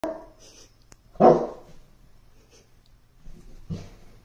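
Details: An English Mastiff playing with a toy gives a single deep, gruff bark, followed by a softer second woof.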